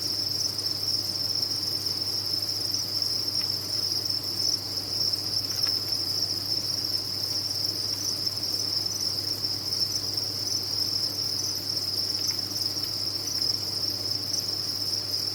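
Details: Crickets kept on a farm trilling together in a continuous, even, high ringing drone, with a soft low electrical-sounding hum beneath and no breaks.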